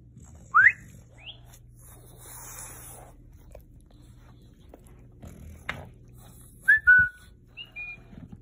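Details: Murph the bulldog reacts to a talking cactus with scattered thin whistled whines, a rising squeak early, then a pair of level whimpers near the end, amid quiet room hum and faint rustling.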